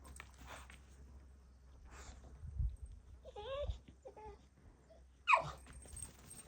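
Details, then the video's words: Bulldog puppy throwing a tantrum, giving wavering, bending whines in two bursts midway, then a sharp, loud yelp-like cry near the end, among quiet background noise. "Bulldog puppy has a tantrum"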